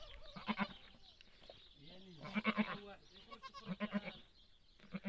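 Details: A goat giving birth, heard live up close: a wavering, arched bleat rises and falls in the middle, with people talking in Arabic around it in short bursts.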